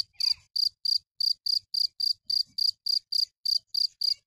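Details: A cricket gives a rapid, regular series of crisp high chirps, roughly three to four each second, against an otherwise quiet background.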